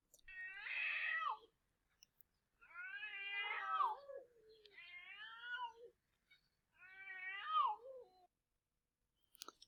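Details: Two Estonian domestic cats fighting give drawn-out, wavering, high-pitched wailing cries of pain in separate bouts.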